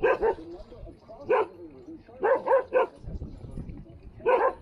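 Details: Standard poodle barking while playing in water near Ketchum, Idaho: about seven sharp, bright barks, some in quick pairs, spaced unevenly over several seconds, with quieter background sounds between them.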